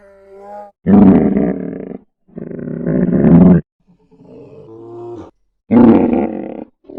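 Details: Polar bear. A polar bear lets out deep, raspy roars, each lasting about a second and repeated several times. Softer, lower moaning sounds fill a pause between the louder bursts.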